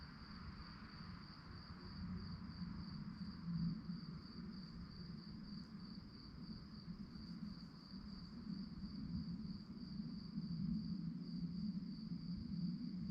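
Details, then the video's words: Crickets at night give a steady, high, pulsing trill that runs unbroken through the whole stretch, set over a constant low rumble of background noise. "relaxing sounds of crickets"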